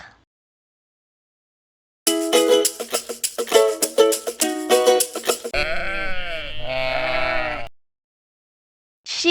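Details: Sheep bleating in a children's lesson on farm animal names and sounds; a long, wavering, quavering bleat follows a stretch of bright plucked music.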